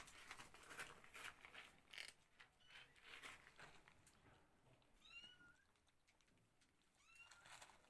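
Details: Cats, kittens with their mother settling into a new place indoors: two high, arching meows rising then falling, about two seconds apart, after a stretch of soft rustling and thumps in a quiet room.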